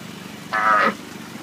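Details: Zoo sea lion in heat, looking for a mate, gives one short harmonic honking call of about half a second, loud and steady, over a quiet background hum.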